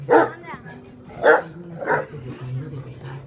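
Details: Great Danes barking: three short, broad barks about a second apart, the first two the loudest, over a steady low hum and faint background music.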